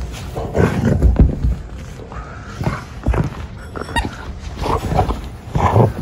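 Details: Treeing Walker Coonhound dog in hunting-style play, reacting seriously; rough, roar-like growling bursts come in short uneven volleys with brief tonal whines between, mixed with thuds and scuffling of movement indoors.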